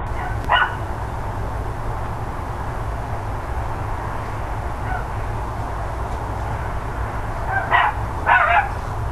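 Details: Neighbours' dogs barking on the morning of 13 October 2012, around ten o'clock: one sharp bark near the start, a faint one mid-way, then two quick barks near the end, over a steady low rumble of background noise.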